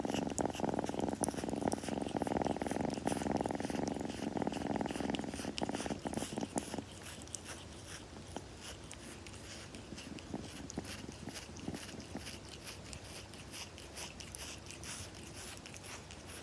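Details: Close recording of a kitten purring during grooming: a strong, even rumbling purr for about six seconds that then fades to a quiet, softer purr with light scratchy licking sounds.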